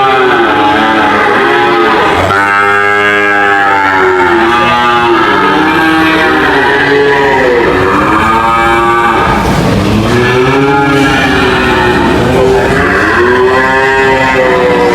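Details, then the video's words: Several cows mooing at once, drawn-out harmonic lows overlapping and rising and falling in pitch, one call after another with hardly a pause throughout. "cow mooing sound"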